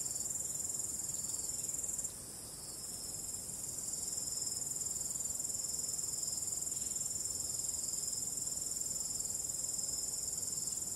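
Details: Crickets calling on a starry night with calm wind: a dense, steady high-pitched trill pulsing rapidly, one shrill band dropping out briefly around two seconds then returning.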